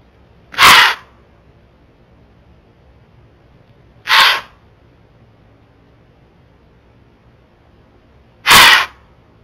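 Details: A whitetail doe on a Florida trail blows at a bobcat coming down the path, warning other deer. A trail camera picks up three sharp, rough, air-forced snorts spaced about three to four seconds apart, with near silence between them.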